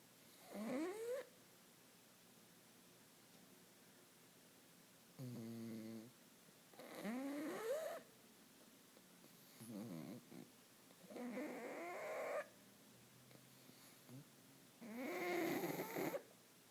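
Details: Pug snoring in its sleep indoors: a series of rough, drawn-out snores every two to three seconds, some with rising whistling tones, one a rapid rattling pulse, separated by quiet pauses.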